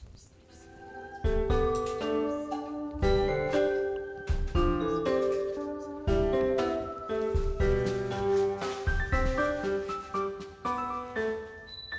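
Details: Bright, tinkling chime-like melody plays throughout, with no animal sound.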